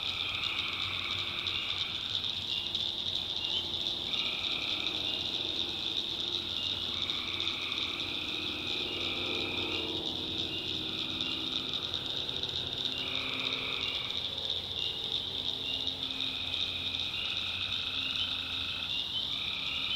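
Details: Tree frogs calling at night in a swamp in the backwoods of North Carolina: a dense, steady high chorus with overlapping trilled calls of one to two seconds repeating throughout, plus a faint low hum underneath.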